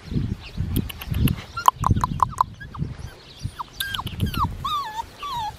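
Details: Black tri male Australian Shepherd puppy, aged five weeks six days, giving high whimpers and thin whines, some bending up then down, after a run of short squeaks, over low thumping handling noise.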